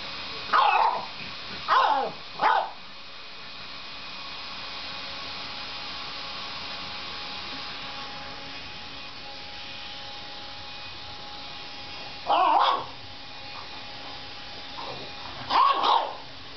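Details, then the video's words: A one-and-a-half-year-old French Bulldog barks at a vacuum cleaner. A quick burst of three sharp barks opens, then a long pause filled with steady motor hum, then single barks and a final double bark near the end. "French bulldog barking"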